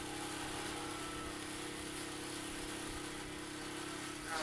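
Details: Steady engine drone with broadband hiss and a faint tonal whine, rising slightly at the very end, with no animal sounds.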